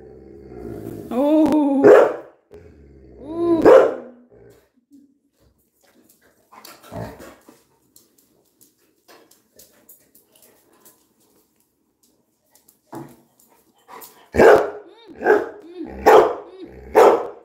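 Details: Pet Labrador Retriever Coco, restless while its owner scolds it; opens with whining, rising yelps and a bark, then near-quiet, ending in a burst of four quick barks.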